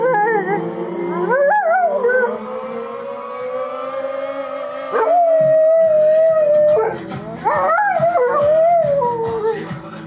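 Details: Bowi, a female Rottweiler, howls in long, wavering, rising and falling notes over loud punk music, as she does every time this one song plays.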